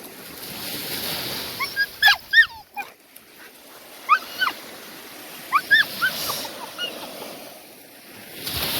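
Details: Whining from one of three Australian Shepherds on a Sunday beach outing, their first ocean swim. Short, high, slurred whimpers come in small clusters of two or three, about five groups, over a soft background of surf.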